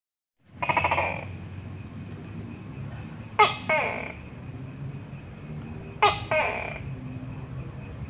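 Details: Tokay gecko calling in two-part phrases: a sharp clicking burst followed by a longer, lower rasping croak. A single call is followed by two paired calls about three seconds apart, over a steady high insect-like whine and low background rumble.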